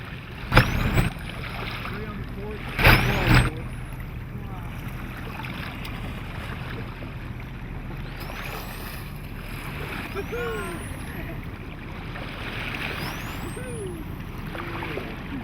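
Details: Wild local bottlenose dolphins in La Bahia San Francisquito, Mexico, heard from a quiet sailboat, give thin, high whistles that sweep sharply upward, over lapping water and a few voices.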